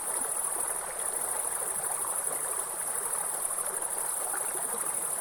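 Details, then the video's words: A steady, shrill insect drone from forest grasshoppers holds one high pitch throughout, layered over the constant splashing roar of a nearby waterfall and stream. "Real forest and grasshopper sound with soothing waterfall sound"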